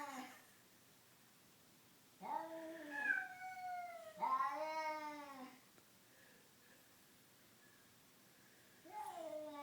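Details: Two domestic cats, one black and white, making horrible noises without fighting; drawn-out wailing yowls with wavering pitch, three separate cries spaced by a few seconds of quiet, the middle one rising then falling.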